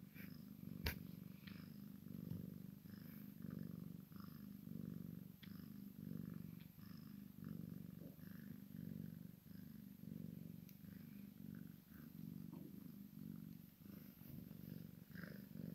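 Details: Maine Coon x Sphynx mixed-breed cat purring during play between kitten and mother, a long continuous low rumble rising and falling in regular breaths, with a sharp tap near the start and faint soft rustles above.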